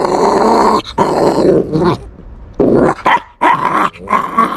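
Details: Puppy protecting its bone without fear, refusing to let it be snatched: a sustained rough, rumbling growl broken by brief pauses, then further snarling growls with short yip-like edges.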